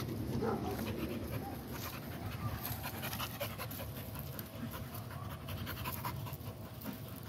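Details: American Pit Bull Terrier panting hard, with roughly 167 breathy, rasping huffs a minute in an uneven rhythm, louder at first, over a low, rumbling background.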